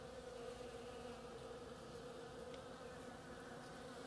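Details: Short stretch of bees foraging on an oriental creeper: a dense, steady humming drone of many wings, with a single faint high chirp partway through.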